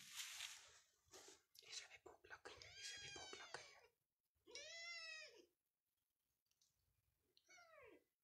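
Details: Persian cat in a Pakistani cattery housing cats and kittens, one clear drawn-out arched meow in the middle followed by a shorter rising-falling one, preceded by talking and indoor rustling.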